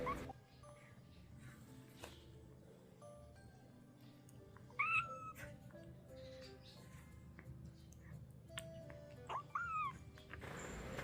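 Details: Young kitten crying after finishing its milk, fed by syringe while being cared for: two brief, thin, high rising-then-falling mews several seconds apart over quiet room hum and faint clicks.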